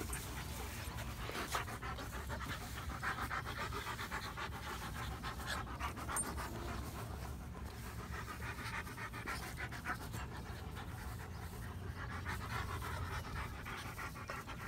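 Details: Odin, a pet German Shepherd, panting in a playful mood: fast, rhythmic, quiet breaths repeated about three times a second, blurred by low rumbling background noise.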